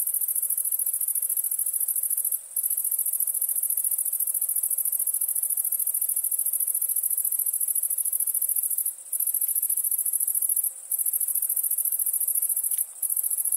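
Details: Crickets chirping at nighttime: a dense, very high-pitched pulsing trill runs without pause, broken only by a few brief gaps, with no other clear sounds.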